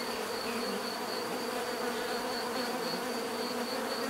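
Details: Short stretch of dense bee buzzing: an even, unbroken hum with several low tones and a faint high whistle-like line.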